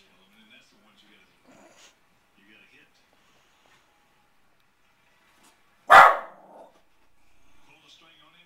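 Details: Single sharp, explosive bark from a Pembroke Welsh Corgi aimed at baseball pitchers on TV because they won't throw the ball to him, set among faint, quiet background sounds.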